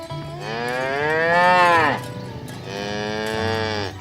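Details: Cows mooing as a herd is driven to the pen through a rice field ditch in a green village field: two long moos, the first swelling loudly then dropping, the second softer, with music faintly beneath.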